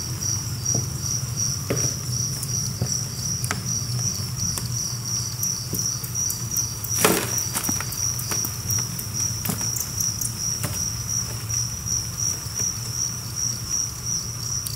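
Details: Captive two-spotted crickets, a colony of about a thousand kept in a cricket 'apartment', chirp as a dense, steady high pulsing chorus, over a low hum and scattered sharp clicks and tapping rustles, with a loud clatter near the middle.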